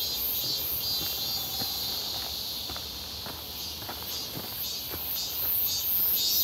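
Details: Cicadas calling in midsummer near Seonbawi, 1 August 2023, clear and hot, on a walk: a constant piercing electric buzz with faint pulsing, louder at the end, with soft steady footsteps beneath.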